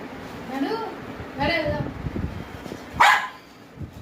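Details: A 21-month-old male Indian Spitz gives a sharp, aggressive bark amid a person's talking.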